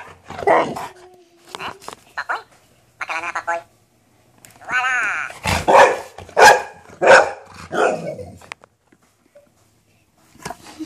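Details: Golden retriever meeting a minion toy for the first time, giving a run of loud, harsh barks in quick succession with some whimpering tones, while people talk and laugh around it.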